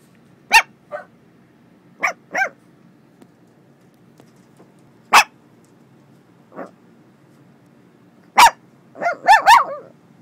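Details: Dog "talking": short, sharp barks and yips spaced irregularly across ten seconds, ending in a quick run of three rising, whiny yelps.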